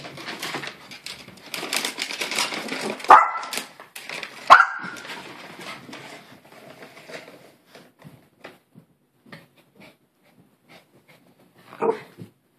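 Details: Maltese poodle indoors giving two short, sharp barks a second and a half apart, followed by scattered light tapping and clicking, then one softer bark near the end.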